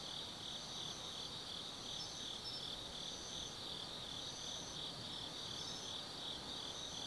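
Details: Autumn insects singing at night in the forest of Tsukimi no Mori, Kaizu, Gifu Prefecture, Japan, beside a lookout 180 m above the Nobi Plain: a dense, unbroken high trilling chorus with a shimmering pulsed texture and a higher layer of intermittent chirps.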